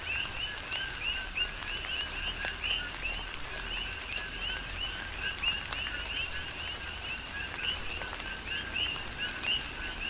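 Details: Chorus of coqui frogs during a tropical rain shower on the Big Island of Hawaii: overlapping short two-note calls, a low tone leaping to a higher upswept chirp, repeated many times per second, over steady patter of raindrops.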